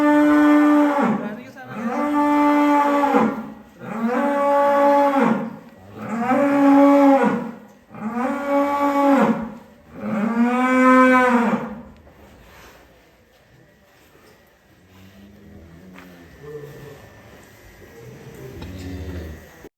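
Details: Big Indonesian fattened cattle (sapi lemu) mooing: six loud, rich moos in a steady series about every two seconds, each swelling and fading, followed by quieter low rumbling and faint background sounds.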